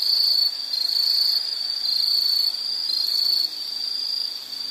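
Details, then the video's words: Nature-sound insect chorus: a continuous shrill chirping band that pulses slightly in loudness, dipping softer near the end, with a thin higher whine above it. "Nature Sound of nature sounds scenery L · insect"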